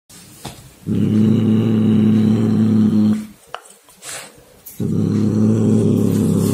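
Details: Cat named Chia making unusual sounds while playing with a toy mouse indoors: two long, low, rumbling growl-like vocalizations of about two seconds each, separated by a short quiet gap with small clicks.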